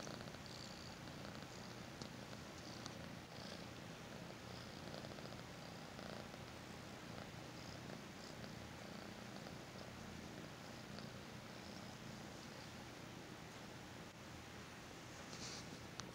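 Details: A happy kitten being petted and given attention purrs steadily, a low continuous rumble pulsing with each breath.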